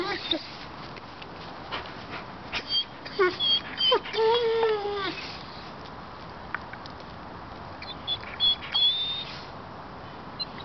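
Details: Pet dog Yambo whining at a cat he sees on the balcony above: thin, high, wavering whimpers come in short bursts, some rising and falling, with people talking in the background.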